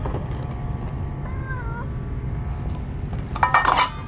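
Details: Stray cats fed Kalkan, Churu and dry kibble, eating noticeably more greedily than usual; a faint brief mew, then a short louder meow near the end over steady low background rumble.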